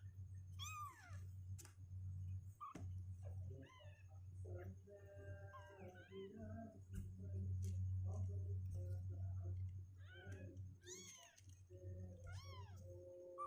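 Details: Sixteen-day-old kittens, unwilling to sit in their box, make scattered short mewing cries, some thin and some wavering, spread across thirteen seconds over a constant low hum and occasional rustling.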